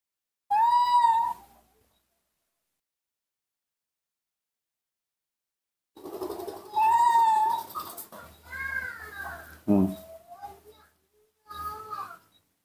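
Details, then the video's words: Nomi, a hand-raised baby monkey eager for its milk, gives bright tonal squeals, one short and one longer and wavering, followed by a tumble of quieter chirps mixed with people talking indoors. "calling and making small sc rea ms, the baby monkey Nomi couldn't wait to drink milk"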